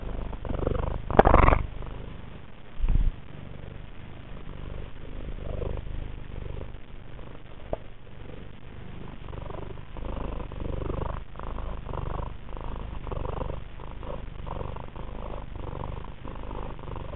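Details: Tina, an affectionate pet cat, purring while rubbing her nose and chin on the camera: a continuous low rumbling purr throughout, broken early by two loud wet snorts near the start.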